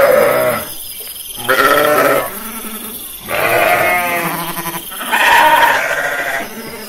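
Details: Pastured sheep giving a series of vibrating, nasal bleats roughly every second and a half, each wavering in pitch, one voice after another with quieter breaks between.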